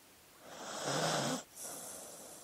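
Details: One drawn-out snoring inhale from a sleeping dog, breathy with a low droning whine underneath, then a brief pause and a softer hissing exhale.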